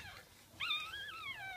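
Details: Jack Russell Terrier delivering her second puppy, 5:35 am, 17 October 2014: one drawn-out, high whine that jumps up sharply, holds, then slides slowly downward before cutting off.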